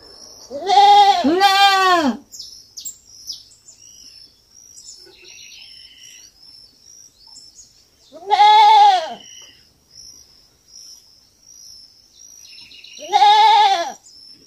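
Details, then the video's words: Young goat on a farm bleating: a double wavering bleat, then single loud bleats about every five seconds, with a steady high insect whine and faint bird chirps between calls. "Som de fazenda e cabrito berrando"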